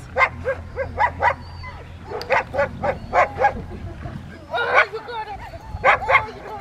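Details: Rottweilers training amid distractions at Victoria Rottweiler Club, May 2, 2021: uneven clusters of harsh barks, some doubled, mixed with human speech and a steady low hum underneath.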